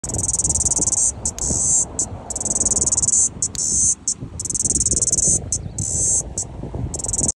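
A cricket gives loud, high, pulsing trills in long bursts with brief pauses between them.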